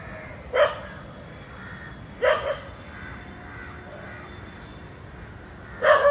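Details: A dog barks while watching two snakes coiled together; only three widely spaced barks, near 0.6, 2.3 and 6 seconds, separated by quiet stretches of faint hiss.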